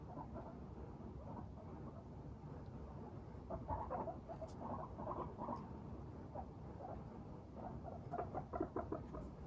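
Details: Cheerful pet guinea pigs, Teddy and Abyssinian breeds, walk briskly and chatter. Brief, quiet squeaky pulses cluster in bursts around the middle and end, mixed with rustling footsteps over low room noise.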